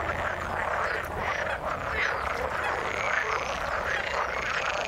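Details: Frogs croaking in the water, a steady dense chorus of rasping pulsed calls with a few brighter notes standing out, plus a faint low hum underneath.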